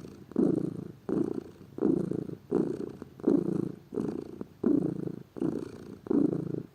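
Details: Lazy pet cat purring at home, a soft rumbling hum in around nine regular surges, each one starting firmly and tapering off with the breath.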